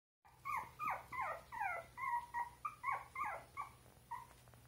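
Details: Russian Toy puppies born on 26 June: a quick series of about a dozen high, thin whimpering yelps, each sliding downward, coming roughly three per second, with a low steady hum behind.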